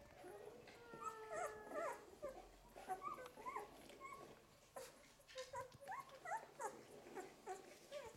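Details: Litter of eleven-day-old Golden Retriever puppies making thin, high, wavering whimpers and squeals, several overlapping in quick bursts throughout, with soft rustling and clicking between cries.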